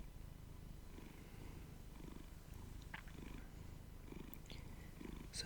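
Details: Pet domestic cat purring while cuddled up with its owner during morning coffee indoors; a steady, low, rumbling purr with rhythmic pulsing throughout, soft quiet talking faintly over it.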